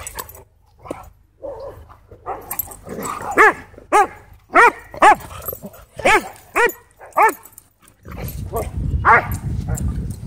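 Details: Two Siberian Huskies in an intense play fight at a dog park, giving a run of sharp, harmonic barks and yips spaced about half a second apart, then a burst of rumbling noise near the end.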